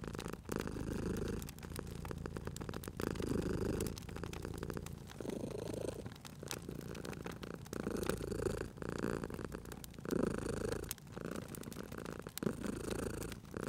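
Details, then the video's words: Cat dozing beside a crackling fireplace gives a continuous low, rumbling purr that rises and falls in breathing-paced pulses, overlaid by frequent crisp crackles and pops from the fire. "Cute Purring Cat at a Crackling Fireplace"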